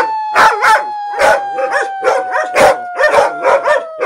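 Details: Dog howling as a sustained, slowly falling tone runs beneath loud, rhythmic broadband bursts repeating roughly every half second, partly masking the howl.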